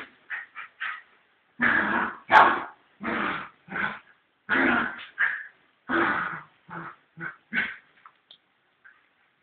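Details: Fox terrier barking while fighting with a cat, a run of sharp barks and yips about every half second, some louder and longer, others short, tapering off toward the end.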